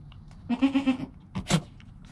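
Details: Newborn goat kid named Joel, recorded on a GoPro within an hour of his birth beside his calm mother Penny. He gives one quavering, pulsed bleat lasting about half a second, then a short sharp knock-like noise.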